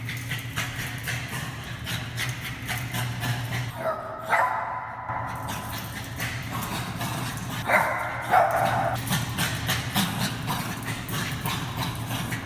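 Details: Bichon Frise male in a garage, happy at being off the leash and barking at his still-leashed brother; a few sharp barks break out around midway amid a steady low electrical hum and clattering noise.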